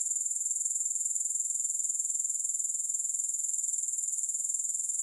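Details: Grasshoppers in a continuous high-pitched chirring, pulsing steadily about four times a second with no music, smooth and unbroken throughout.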